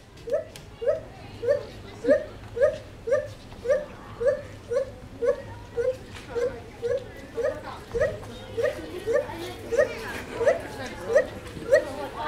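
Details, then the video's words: A monkey at Cotswold Wildlife Park gives an unusual long run of short, hooting yelps, nearly two each second. "Funny monkey noise at Cotswold Wildlife Park"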